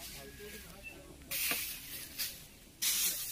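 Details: Indian cobra (spectacled cobra) during a snake rescue at Kalashree village, Balichandrapur, Jajpur, Odisha, India. After a quiet stretch, loud breathy hisses come in bursts: one long push, a short one, then another long hiss at the end.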